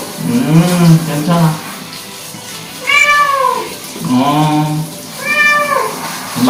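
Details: Young male Korean shorthair cat, a rescued former stray, meowing in distress while being bathed: long drawn-out wailing meows with a slow rising then falling pitch, about four cries, with a low hum and faint human voices underneath.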